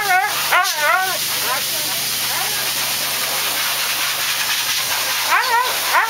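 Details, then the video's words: Siberian Husky named Thunder vocalising during grooming, with brief wavering cries at the start and again near the end, and a loud continuous hiss filling the middle stretch. "Cry Baby Husky"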